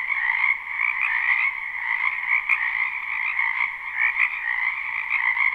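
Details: Spring wetland frogs behind a house, live recording without loops: a steady, dense chorus of rapid overlapping croaks and trills in high and mid bands, unbroken from start to finish.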